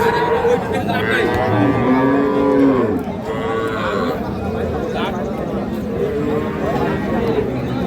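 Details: Dairy cattle, Sahiwal, Sindhi and local breeds, cows with calves, at a busy cattle market in Parbatipur, Dinajpur, Bangladesh, 19 January 2026: a drawn-out, bending moo in the first three seconds, over steady crowd chatter and bargaining voices.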